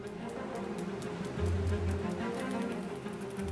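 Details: Bowed string music with a low sustained drone and soft rhythmic pulses; no animal voice can be picked out.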